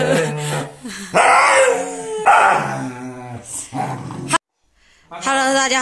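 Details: Pet Siberian Husky wailing dramatically indoors while being shaved. It gives long, loud, wavering howls and yowls, with rising and falling pitch, in several drawn-out bursts, and then a brief silence. A person speaks briefly.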